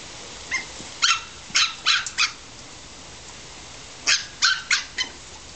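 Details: Australian Terrier puppies about seven weeks old, born 6 June 2007, playing in a garden on 25 July 2007; short high yips and barks in two bursts of four to five, with a quiet gap between.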